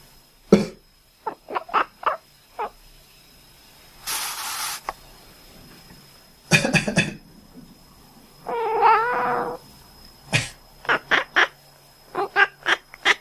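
A drowsy cat answers a person's coughs with short, nasal, duck-like quacking sounds.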